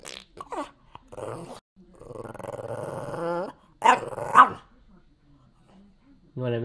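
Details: Pet dog asking for food makes short yelps, then a sustained moaning growl that slides up at the end, and more brief rising whines while a person offers milk and chicken.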